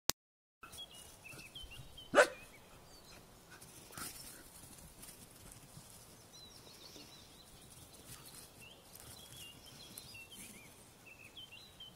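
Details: A Standard Poodle puppy playing with his big sister in summer 2012 gives one sharp, short bark, with faint birdsong chirping behind.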